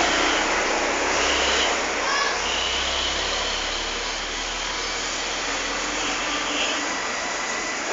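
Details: Loud, steady broadband whooshing like a vacuum cleaner or hair dryer runs throughout, and no animal sound is heard.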